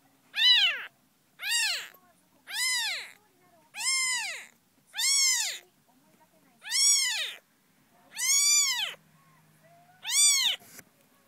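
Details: Eight drawn-out, high-pitched kitten mews from Tsubomi, a young cat whose eyes were opening in late May; each call swells up and falls away, spaced about every second and a half with quiet between.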